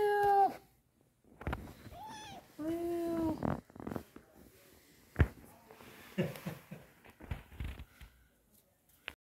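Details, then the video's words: Kitten meowing indoors: a short high meow at the start, a brief one near two seconds, then a longer drawn-out meow, followed by faint rustles and knocks. "A Kitten's Meow"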